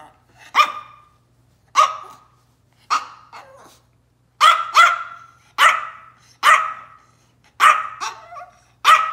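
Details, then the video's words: Yorkshire Terrier named Tiny Taylor, a small pet dog throwing a tantrum, giving sharp high barks about once a second, nine in a row with uneven gaps and some softer trailing yaps, in a quiet room with a faint low hum. "Our Little Yorkie, Tiny Taylor, Throws a Tiny Dog Tantrum"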